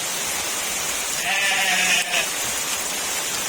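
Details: Goat bleating during very heavy rain: one short wavering bleat near the middle, set against a constant loud hiss of downpour.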